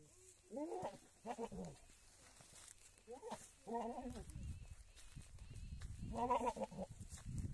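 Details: Large breeding male goat on a goat farm, used for mating with a herd of goats, giving four wavering bleats spaced a second or two apart, the last the loudest, over low rumbling background noise.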